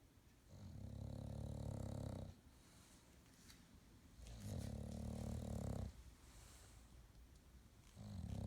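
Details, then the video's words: An English Bulldog sleeping on his new bed with his eyes open snores in deep, rumbling, harmonic-rich breaths, each lasting about two seconds. "OurPetFrankie English Bulldog Snoring"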